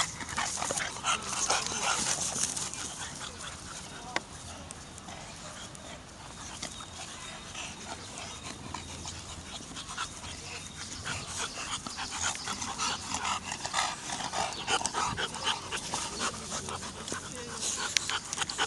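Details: Bulldogs playing with Toto at a park: quick, breathy panting runs through most of the stretch at roughly two pants a second, with scuffling, a few sharp knocks and steady outdoor background noise.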